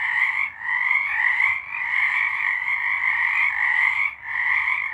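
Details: A chorus of frogs singing in March 2023, with massed rapid trills layered in a middle and a higher band, swelling and briefly dipping near the start and again toward the end.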